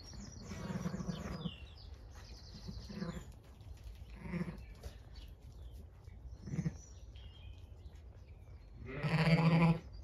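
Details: Zwartbles ewe, a new mother just after lambing a healthy ewe lamb on a farm in County Kilkenny, Ireland, on a sunny morning as the flock is let onto grass. She is watchful of nearby dogs and protective of her lamb. Several low, harmonic bleats, a louder burst at the end, faint birdsong.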